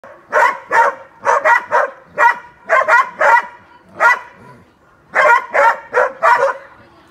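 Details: Hunting dogs being trained on wild boar, sharp loud barks in quick doubled and tripled bursts, about fourteen barks with short pauses between groups, clear and close with little background noise.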